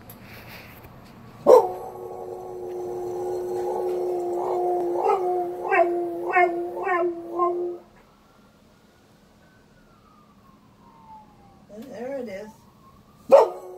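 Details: Border collie howling in imitation of a fire truck siren: a long steady tonal howl of about six seconds that breaks into wavering yodel-like pulses, then a faint rising and falling siren wail and a sharp click.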